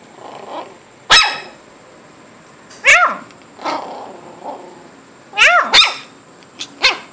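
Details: Almost 8-week-old Shih Tzu puppies, indoors. Shrill yelping barks come in an uneven run, about six in seven seconds. Some are single, some paired in quick succession. Each is piercing and harmonic, with a downward-curving pitch. Softer whimpers sound between them.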